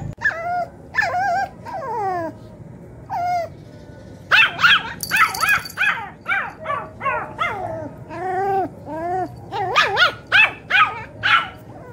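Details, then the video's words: Poodle 'talking' with a grandmother: a run of warbling, whining yowls that bend up and down in pitch, in short separate bursts, then a quicker string of yips and wavering whines toward the end. "HOW GRANY TALK TO CLEVER CUTE DOG POODLE."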